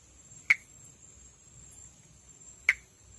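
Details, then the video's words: Two crisp clicking notes about two seconds apart from a perereca-macaco, Pithecopus nordestinus, an arboreal frog of northeastern Brazil, recorded calling during amplexus. A continuous thin high tone runs behind. "Vocalização e amplexo de Pithecopus nordestinus"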